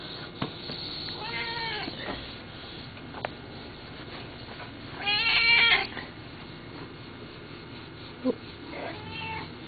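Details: Eric, a domestic cat, meowing at a front porch: three drawn-out, harmonic meows spaced a few seconds apart, the middle one loudest, with faint clicks and low background hum between them.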